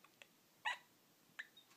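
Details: Mikie, a pet Yorkshire Terrier, indoors in the morning after waking, lets out two short, squeaky yips about three-quarters of a second apart. Faint ticks and light rustling sit between them.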